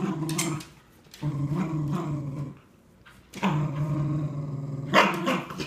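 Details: Two Cardigan Welsh Corgis, one aged 3¼ years and one nearly 9 months, play tug-of-war over a new toy, growling in low, rumbling bouts of one to two seconds with short pauses between.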